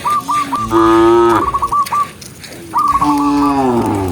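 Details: Two long, steady moos from tame cows herded in the countryside, each a deep held tone, with runs of sharp high chirps overlapping the start of each call.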